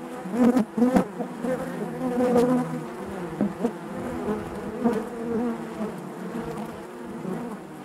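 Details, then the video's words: Loud honey bee hive hum, the colony droning in layered harmonics. Two sharp taps come near the start, then the buzz swells and eases in gentle waves. "bees therapy hive natural buzzing sound"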